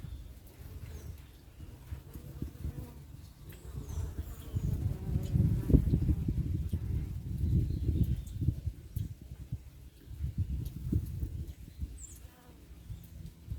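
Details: Africanized honey bees at an apiary bee yard in October 2021: a low, continuous droning buzz that swells in the middle of the clip and eases toward the end, with faint scattered chirps high above.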